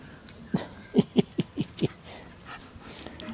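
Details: Shiba Inu puppies of the litter Ichi Hime, born 25 February 2017 and 28 days old on 25 March 2017, indoors: six short, low grunting whimpers in a quick, uneven burst, then quiet room noise.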